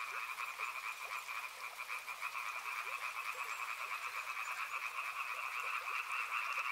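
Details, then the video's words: Chorus of frogs along a river, rapid repeated croaks about twice a second merging into a steady two-band trill, with scattered individual chirps and a light rush of water. "Frog Sounds | Soothing sounds of river and frogs"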